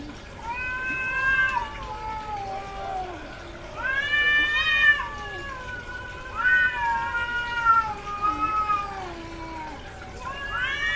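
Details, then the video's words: Domestic cat, a female in heat, vocalising at length: a series of loud wailing meows, each rising sharply then gliding down, repeated roughly every two to three seconds over a faint background hum. "SOM de GATO no cio - Barulho de GATA no cio Gatos miando"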